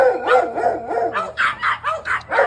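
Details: Three sibling dogs of different breeds bark in turns at passers-by in front of their house, one smaller voice finishing; about eight sharp barks in quick succession, early ones lower and more tonal, later ones higher and harsher.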